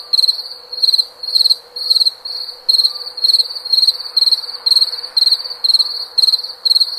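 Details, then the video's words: Cricket song of rhythmic high chirps, about two each second, every chirp a short rattle of pulses, sustained without pause over a quiet background hiss. "SOM DE GRILO"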